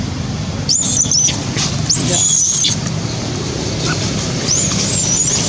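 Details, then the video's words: Hungry monkey Janet screaming for food, giving short piercing high-pitched squeals in separate bursts, some wavering, with a constant low rumbling background noise. "Janet screaming loudly cos need food"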